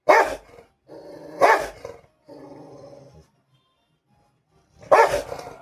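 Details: Fighting Rottweiler giving sharp, harsh barks with stretches of low rumbling growl between them, then a pause before a final bark.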